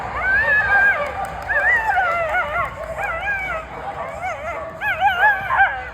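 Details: A female dog watching flyball makes herself heard with a continuous string of high, wavering whines and yelping cries. The cries rise and fall and come in rapid bursts over a murmuring background.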